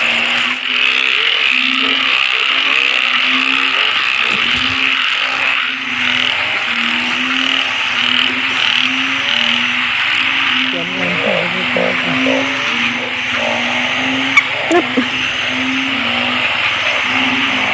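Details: Frogs, locally named อึ่งเผ่า and อึ่งยาง, calling at a crowded spot: short low croaks repeated steadily under a dense, continuous high-pitched chorus, with faint background noise throughout.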